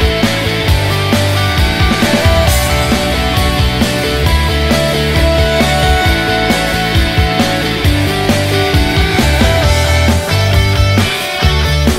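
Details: Loud rock music with driving guitars and drums fills the whole stretch, with no animal sound.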